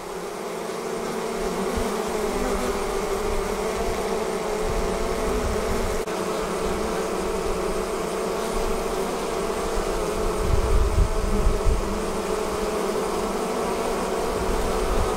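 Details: Honey bee swarm departing the hive: a dense, steady droning hum of many wings, low and continuous with slight wavering pitch, filling the whole stretch without pause.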